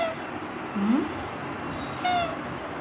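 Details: Domestic cat at home meowing as it is coaxed to eat: a short low rising mew, then a clearer falling meow, with faint room noise and a woman's voice nearby.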